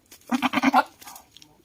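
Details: Short, quavering bleat from an aggressive buck goat: about half a second of rapid pulses rising in strength, then a fainter trailing sound.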